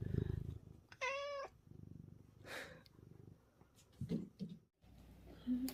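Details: An affectionate, dog-like house cat, one of six kept at home, makes a single clear, slightly wavering meow amid low rumbling, handling noises and brief sounds from people.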